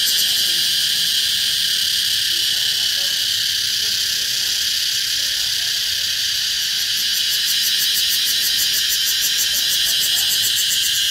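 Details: Ear-splitting song of one cicada in summer in Vietnam, locally called cicada music: a loud, continuous harsh buzz that gains a rapid pulsing flutter in its latter part, with faint voices beneath.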